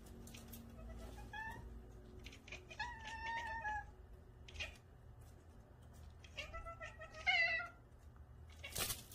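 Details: Several of nine pet cats in a multi-cat home, named Karae, Leo, Sagwa, Mingming, Choco and Gyeoul among them, chatter at a new feather toy indoors; short harmonic chirps and trills in bursts, with a louder rising chirp near the end.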